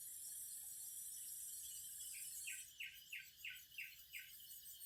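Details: Cicadas produce a constant bright, hissing whine; halfway through, a regular train of about seven pulsed chirps begins, each roughly a third of a second apart.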